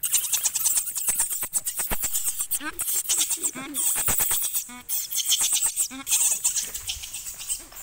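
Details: Hungry baby monkey crying and begging its mother for milk: repeated high, strained squeals with ringing harmonics, rising and falling in short bursts, broken by sharp clicks and rustling close to the microphone.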